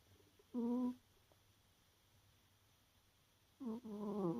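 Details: Tired domestic cat Peru asleep and snoring: a short droning breath, a pause of nearly three seconds, then a longer wavering snore that rises slightly in pitch, in a quiet setting.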